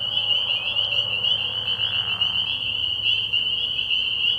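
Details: Many spring peepers calling together at night from a pond early in the year, their high, piercing peeps blending into a constant shrill drone, with a faint low hum underneath.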